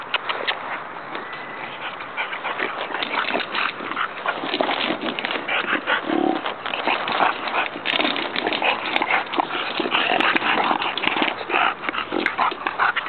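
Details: Bulldog puppies playing together on a playground: a steady stream of scuffling and soft yips, with brief whiny whimpers rising over continuous rustling and thumping movement noise.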